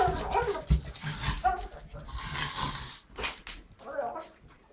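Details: A female Pekingese, excited that it is time for a walk, makes rapid, throaty, warbling turkey-like gobbles while a person talks over it.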